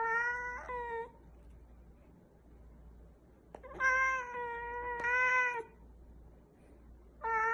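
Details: Pet cat giving strange vocalizations: a short meow, then after a pause a click and two long, steady, wailing meows, followed by the start of another call, over a low background hum.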